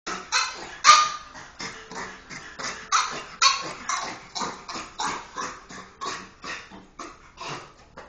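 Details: Pet dog at the vet, which it dislikes visiting, giving sharp barks and yelps in a steady run of about sixteen bursts over eight seconds, some louder and higher than others.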